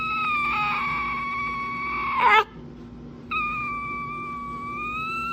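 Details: A dog making funny noises: long high whining tones held steady, a brief warbling squeak breaking off, a short pause, then another sustained high whine continuing to the end.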